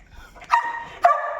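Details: Noisy pet dog barking indoors at six in the morning while looking toward its feeding spot: two loud, tonal barks about half a second apart, each with a sharp onset and a drawn-out ringing tail.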